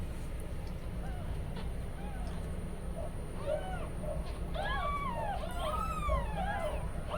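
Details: Newborn kittens, umbilical cord not yet fallen, crying for their mother Kujma while she is away outside; several thin, arched, rising-falling mews overlap in the second half, over a steady low hum and background noise.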